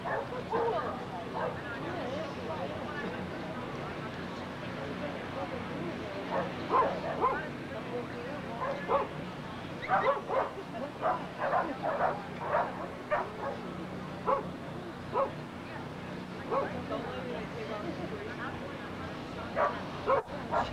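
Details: Kerry Blue Terriers at the United States Kerry Blue Terrier National Specialty dog show, MCKC, 10 October 1993: sharp barks come in irregular bursts, thickest midway, over steady crowd murmur and voices.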